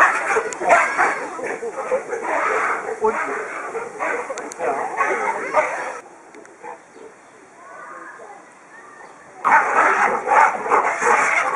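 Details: Male baboons fighting, jealously guarding harem females against rival males: dense, harsh, overlapping barking and screaming bursts for about six seconds, a quieter lull with faint calls, then the loud chaotic uproar resumes.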